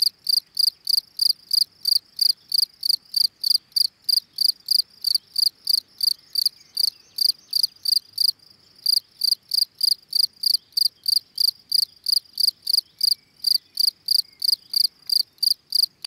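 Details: Calling song of a field cricket (Gryllus campestris): high, ringing chirps pulsing about three times per second, with one brief pause midway before the regular chirping resumes.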